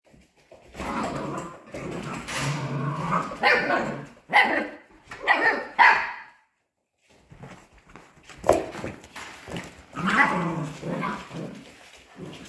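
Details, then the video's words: Playing Polish Hunting Dog puppies aged 55 days, indoors; rough growling and high yapping barks in clusters, a sharp run of squeaky yelps around four to six seconds, a brief silence, then more barking and growls. "Gończy Polski zabawa szczeniąt dzień 55. Polish Hunting Dog puppies' play day 55"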